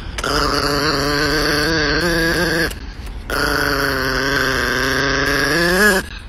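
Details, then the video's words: Niki, a grumpy four-year-old female Chihuahua, angry at being teased by her owner, gives two long, steady, tonal growls of about two and a half seconds each, separated by a short pause. The pitch rises slightly at the end of each. "Ecco una chihuahua un po' isterica che non ama essere stuzzicata"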